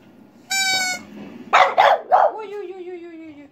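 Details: Female French Bulldog kept as a pet, joining in with a pipe. A brief pipe note comes first, then three quick rough barks and a long, slowly falling whining howl, with a woman's encouraging voice around it.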